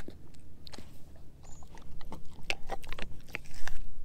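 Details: Quieter gnawing from Edu, a German Shepherd mix, working on a dehydrated pig ear chew; scattered crisp clicks and crackles of teeth on the hard chew, growing denser and louder toward the end.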